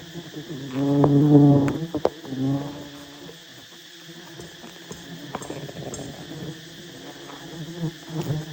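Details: Giant wild honey bee nest in a tall tree, roughly 50 metres high, being approached by honey hunters: a dense low buzzing drone swelling loudly early on, then steadier humming beneath light clicking.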